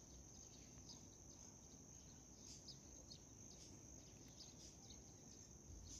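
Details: Steady high trill of a white cricket, joined midway by a run of short, repeated chirps a little lower in pitch, over soft background noise.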